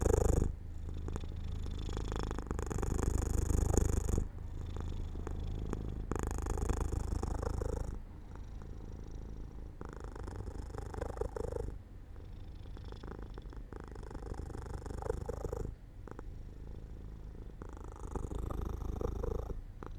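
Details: Domestic cat falling asleep in the sunlight at an open window, purring loudly at first and then more softly, a rhythmic low rumble in breath-length waves.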